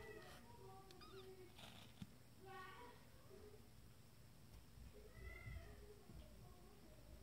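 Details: Young Abyssinian kittens, twenty days old and from a first litter, discovering their playpen: a run of short, thin mewing calls with a few longer wavering ones, a brief click, and steady low hum behind.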